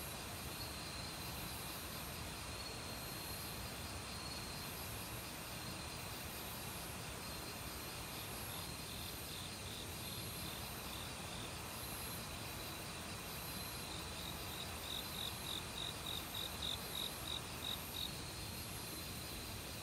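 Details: Autumn crickets in a forest, calling loudly for a week, mixed with various other insects and recorded without professional gear. Thin high trills run throughout, then a rapid pulsed chirp series near the end, all over a constant rushing mountain stream.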